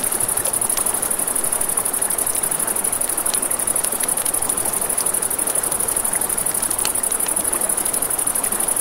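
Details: Unbroken high ringing trill from crickets at night near a river, set against steady stream noise and frequent crisp crackles from a campfire.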